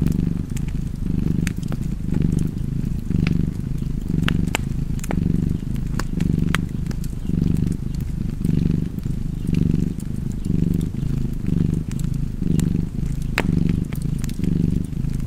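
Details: Relaxed pet cat purring near a fireplace, its steady low vibration waxing and waning around once a second throughout, while frequent light crackles and pops from the burning logs sprinkle the background.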